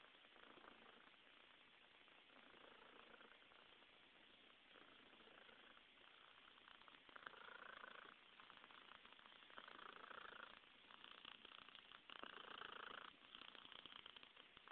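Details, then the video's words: Cat purring steadily and quickly in a close, quiet recording, a continuous rapid rasp lasting throughout, growing slightly louder toward the end. "P purring"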